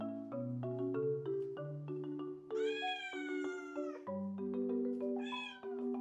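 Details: Kisuke, a blue tabby Scottish Straight cat born 14 August 2020, lonely and clingy, gives two drawn-out, high wavering meows, the second shorter, over steady bouncy marimba music.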